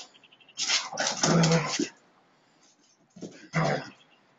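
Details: Siberian Husky dogs in a friendly fight: two bursts of rough, broadband growling and snarling, the first about a second long, the second shorter after a pause.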